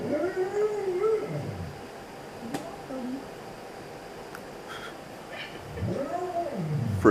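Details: Pet Siberian Husky indoors, vocalizing while watching dog videos: two long, wavering, arched howl-like moans about a second each, separated by a quiet pause with faint background noise.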